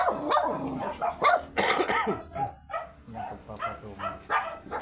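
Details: Very small Shih Tzu during a stud session in Pangasinan, giving sharp, short barks in uneven bursts, several close together early on, then scattered, with people talking in the background.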